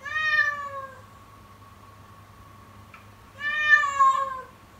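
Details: Insistent, scary-sounding morning crying from a kitten: two long, wailing meows, the second rising to a strained peak, separated by a silent gap of about two and a half seconds, with a low background hum.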